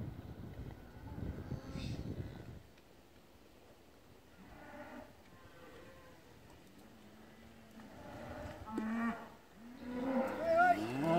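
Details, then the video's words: Limousin cattle used for grazing in the Hunzedal, moving in winter from the polder to a deep-litter barn; faint moos at first amid rustling noise, then rising, louder overlapping moos toward the end. "Wintertrek Limousin koeien: van polder naar potstal"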